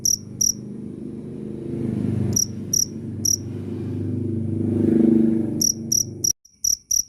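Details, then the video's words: Cricket chirping in scattered bursts of two or three sharp, high, ringing pulses, broken by pauses, over a steady low rumble that swells midway and then drops to near silence before the chirps resume. "Suara asli jangkrik Keras dan jernih"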